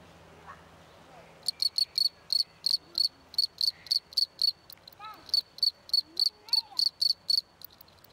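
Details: A field cricket (Gryllus campestris) sitting on a hand chirps steadily with its wings, a bright, pure, high-pitched pulse repeated about three to four times a second.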